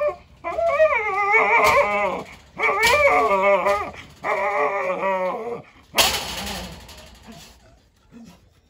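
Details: Jindo dog named Wanggeom, indifferent to a dog called Ttallangi during a breeding attempt, gives three long wavering howl-whines of about a second and a half each, bending up and down in pitch, then a sharp noisy burst and quiet fade.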